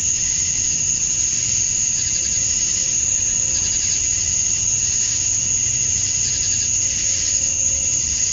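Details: Summer dusk chorus of male cicadas in Georgia, USA, calling to draw in females; an unbroken piercing whine rides over gently wavering hiss, with a faint low tone surfacing twice in the background.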